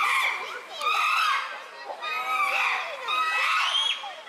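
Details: Uproar among chimpanzees at Tama Zoological Park, Japan, recorded June 2022: three swelling waves of shrill, overlapping screams and hoots, each lasting about a second, separated by short quieter gaps.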